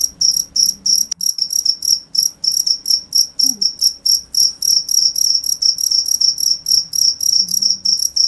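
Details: Cricket giving rapid, high-pitched chirps about three times a second, steady and loud, with a brief click and soft low background noises.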